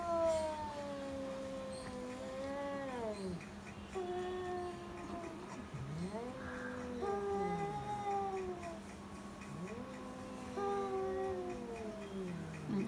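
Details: Domestic cats, the owner's cat and a neighbour's cat in Bangladesh, yowl at each other in long, wavering, rising and falling howls during a standoff fight.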